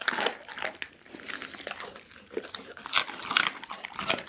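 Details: Dagi, a pit bull, crunching through a whole raw chicken, recorded indoors with an Insta360 ONE R: crisp, bright crackling bites and snapping bone sounds come in quick clusters, separated by quieter licking and gnawing, with loud crunches near the end.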